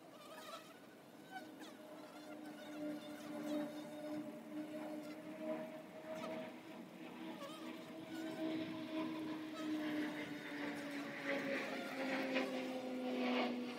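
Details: Honey bees at the entrance of their hive, a steady low humming drone that drifts slowly downward in pitch with a fainter overtone above, swelling louder toward the end, with a few faint high chirps in the background.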